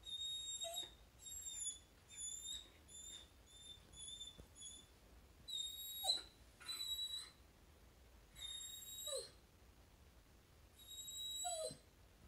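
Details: A Samoyed, Luna, whines softly at home because her dog friend is passing and it is not time to play yet. Quiet, high, piping whistles come in short uneven bursts with pauses between them.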